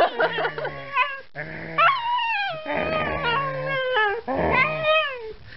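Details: German Shepherd dog giving a long run of high, wavering whines and yelping howls that slide up and down in pitch, with brief breaks between bursts, indoors with no other clear sounds.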